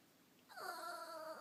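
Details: Goat-like gurgle from a Chihuahua annoyed at another dog hogging the bed: a sudden tonal, harmonically rich bleat starting abruptly and holding steady with a slight waver for nearly a second.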